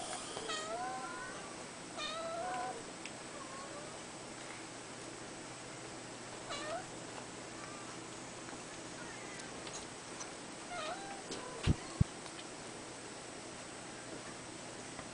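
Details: Five-week-old male red Abyssinian kitten calling with a quick run of squeaky, wavering meows in the first seconds, then sparser single mews, two sharp knocks late on and a steady faint hum indoors.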